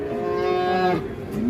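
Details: A sacrificial cow in Indonesia, panicking and raging, gives one loud, drawn-out moo with a steady harmonic-rich tone lasting about a second, then breaking off and rising sharply at the end, in a noisy setting.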